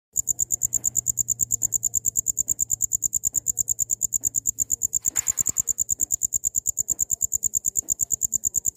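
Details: Cricket chirping, used as a tutor sound for training songbirds: rapid, steady, very high-pitched pulses, several per second without pause, with a brief rustling noise in the middle.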